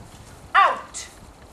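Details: Five-month-old dog Gavin lets out one brief, bright yelp with a falling tail during a training session, framed by quiet room noise and a trainer saying "good boy".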